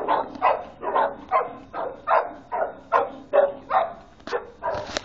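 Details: Three playful Boxer dogs roughhousing, trading quick, raspy growl-barks at a fast pace, over two per second, ending in a sharp higher yelp.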